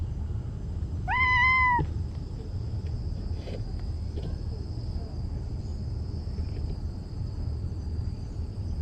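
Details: Talkative stray cat outdoors gives one clear drawn-out meow, rising then gently falling, lasting under a second, over steady low rumbling background noise and a faint high hum.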